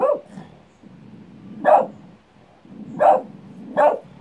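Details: Pet dog reacting to its own echo with a run of abrupt, strong barks roughly once every second, over a steady low background hum.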